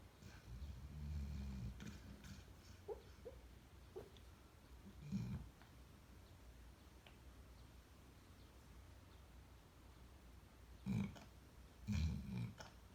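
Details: A sleeping dog snoring and talking in its sleep: low rumbling breaths, with short huffing bursts near the start and two louder snorting grunts toward the end, amid quiet room noise.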